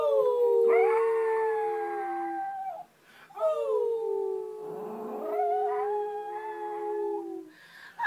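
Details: A pet Pomeranian, on its first try at being trained to howl, gives two long howls separated by a brief pause. Each begins higher, slides down and holds a steady tone before fading.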